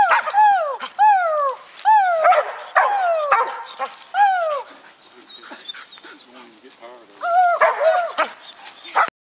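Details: Gator the dog treeing a raccoon, his first real tree bark. Four curved, harmonic barks open the stretch, then quieter rustling and murmured voice, then one last higher bark near the end.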